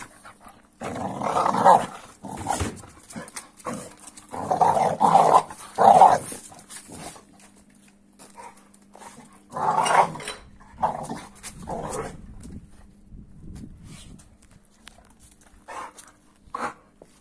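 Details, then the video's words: Reaction noises of an Amstaff toward a Kuvasz puppy aged 15 weeks. Clusters of hoarse, groaning grumbles come early, then a mid-clip burst and scattered short grunts. Long quiet gaps separate them. "Strange Reaction😅😂 Noises Video Of Amstaff At Kuvasz Puppy 15weeks"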